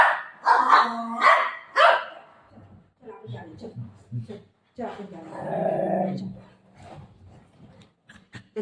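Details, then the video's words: Golden Retriever, upset that its owner says she is leaving: three short, tonal, complaining yowls open the sequence, then a woman talks and laughs. "Dog ka reaction"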